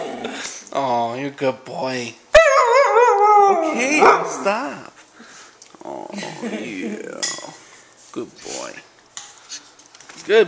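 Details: A Siberian Husky puppy howls in response to people repeatedly saying "beep". The howl is high and wavering and bends up and down in pitch.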